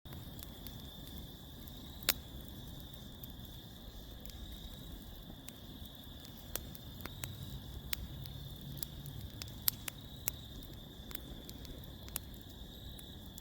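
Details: Crickets chirping outdoors at night beside a crackling fire pit: a steady high continuous trill holds under sharp fire pops and snaps scattered throughout.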